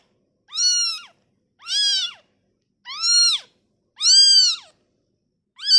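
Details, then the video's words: Newborn kitten separated from its mother gives loud, harmonic-rich meows, each about half a second long, rising then falling, four to five cries spaced roughly a second apart with silence between. "suara bayi kucing baru lahir"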